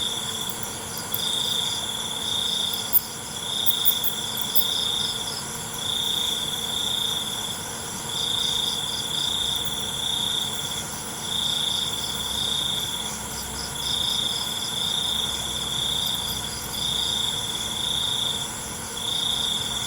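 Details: Crickets chirping at night: a string of short, level trills repeating roughly every two seconds for twenty seconds, a dense high insect drone beneath and a few faint clicks.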